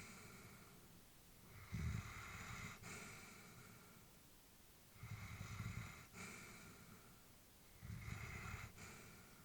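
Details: Elderly female Labrador Retriever sleeping indoors, her breathing slow and rhythmic: soft snoring inhales and airy exhales, one cycle roughly every three seconds, low rumble with a breathy hiss on top, quiet room.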